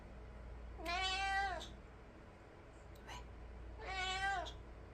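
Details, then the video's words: House cat meowing after rushing toward the sound of stray cats fighting outside: two long, descending, nasal meows about three seconds apart, with a faint click between them and a steady low background hum. "밖에서 길고양이 싸우는 소리"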